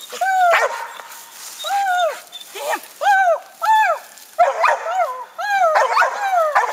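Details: Young dog Gator barks up at a treed raccoon: a string of arched, rising-then-falling yelping bawls roughly every second, growing denser and overlapping toward the end.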